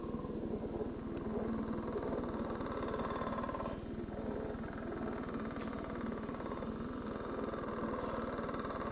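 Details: A male northern leopard frog gives its advertisement call, made from underwater: a steady, low, rattling snore creaking like two balloons rubbed together, pulsed grinding running on without a break over a faint hum, in an Ohio survey guide.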